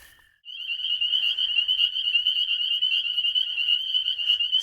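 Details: A dense chorus of spring peepers calling at night under a full moon from a backyard vernal pool, countless high, piercing peeps blending into one continuous shrill wall of sound.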